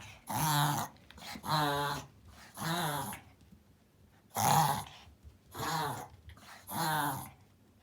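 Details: Pomeranian filmed indoors during a reverse sneezing fit, recorded to show a vet before treatment: harsh, rasping snorted inhalations in six bursts, each lasting under a second, spaced roughly a second apart in a quiet room.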